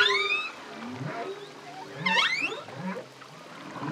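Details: Solo male humpback whale singing: a mix of high whistled sweeps and upswept whoops with lower moaning tones, phrases overlapping against a hissing underwater background.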